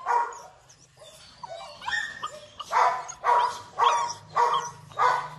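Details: Wrinkle-faced Rottweiler puppy at a kennel: a sharp yelp, then thin whines, then a run of five loud, clear yelping barks spaced about half a second apart.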